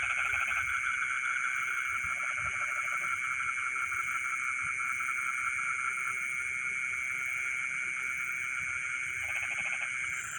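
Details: Frogs calling in rice fields in the middle of the night: short bursts of rapid pulsed croaks now and then over a steady, dense background chorus of high ringing trills and shrill insect-like buzzing.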